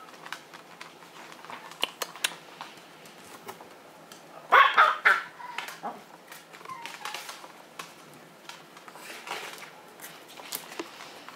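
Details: A single sharp yap from Lupin, a Maltese dog of Herzen rein kennel, breaks a mostly quiet indoor stretch of faint clicks and small rustles.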